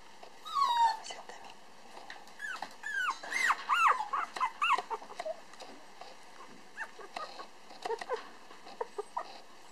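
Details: Black male Toy Poodle puppy weighing 431 g, recently able to stand and walk, filmed on 8 December 2012 at a breeder in Otsu, Japan. It gives high, wavering whines and squeaky yelps in irregular bursts, with a faint steady background hum.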